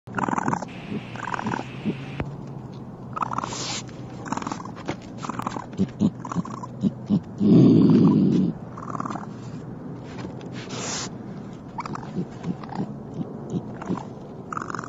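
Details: A raccoon in an attic gives a brief low, rough growl amid scattered knocks and scratchy rustling as it moves about.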